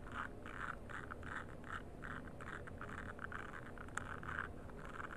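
A frog gives rapid, evenly spaced croaking pulses over a low background rumble.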